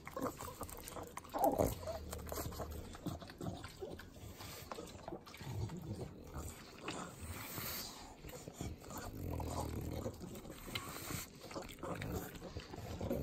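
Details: Pet pugs, three of them, lapping butter at home in Southern California. Steady wet licks and nasal snorting grunts, a sharper snort near the start, then continuous smacking chews.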